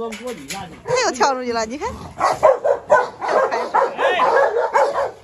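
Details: Three dogs, a brindle Presa Canario female, a Rottweiler and a Staffordshire, stir up trouble together; wavering high whines open, then a run of rough barks follows, over a man's voice.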